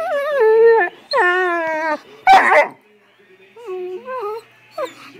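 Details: Female Great Dane reacting to seeing herself on camera for the first time: long, wavering, high whines that rise and bend, then a brief rough burst and shorter falling whimpers, indoors.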